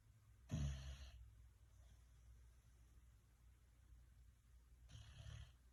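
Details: A tired bulldog in deep, peaceful sleep gives a loud raspy snore, then a long quiet stretch of soft breathing before a second grating snore about four seconds later.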